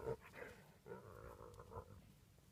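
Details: Spotted hyenas feeding on a domestic cow carcass in Kenya's Maasai Mara National Reserve give low, throaty growls and grunts in short, uneven bursts.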